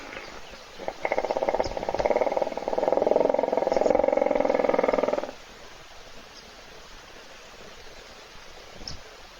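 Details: Sleeping hippopotamus snoring in a puddle at a waterhole filmed by a South African wildlife webcam while thirsty animals wait; a rough, rapidly pulsing harmonic rumble swells for about four seconds, then stops, leaving quiet outdoor ambience.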